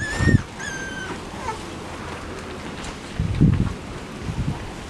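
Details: Labrador Retriever puppy in a run, with parents Max and Whitney nearby, on Thursday 10 September 2015; a clear drawn-out high whine, then a second falling whine, amid scuffling thumps and rustling.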